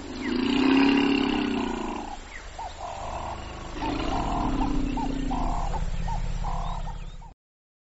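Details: African elephant, Loxodonta africana, produces two drawn-out, throaty rumbles with stacked harmonics, separated by a brief pause, while a series of evenly spaced short mid-pitched pulses runs alongside.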